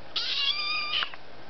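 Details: Young female pet kitten screaming at her owner indoors at night, the owner answering in speech; one loud, drawn-out, strongly harmonic cry of about a second that wavers then drops sharply at the end, with a brief trailing note.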